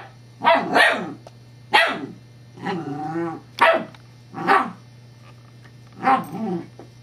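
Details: Evangeline, a female Scottish Terrier, plays with her teething pacifier on 7-12-11, giving a quick double bark, single barks, and a wavering harmonic growl midway, over a low background hum.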